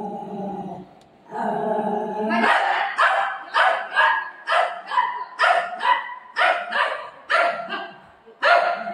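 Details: Pet Golden Retriever at play with its owner, giving a run of about ten loud, punchy barks spaced roughly every half second to second after a brief stretch of human voice at the start.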